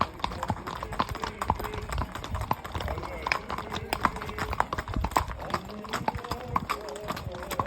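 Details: Clopping horseshoe strikes of a horse fall roughly twice a second in a steady walking rhythm, while voices of people talk over them.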